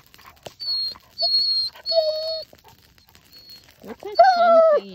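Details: Male Alaskan Malamute kept apart from two females in heat, singing his love song to them: thin high steady whines in separate bursts, a lower level tone, then a full, harmonic-rich wavering howl at the end, with soft speech nearby.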